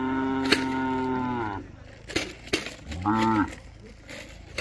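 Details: Khillar or Mysore calves at a Maharashtra cattle market, India: a long, steady harmonic moo, then a shorter arched moo, with sharp knocks and murmuring crowd noise between calls.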